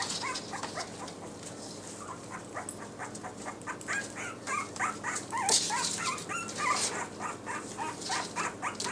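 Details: Litter of Yorkshire Terrier puppies wearing new numbered Velcro collars, giving rapid high squeaky yips and whimpers, about three or four per second, overlapping one another, with scattered clicks and rustling throughout.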